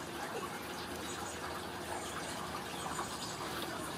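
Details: Gushing, pouring water runs steadily through a small room, with faint voices underneath and no animal calls.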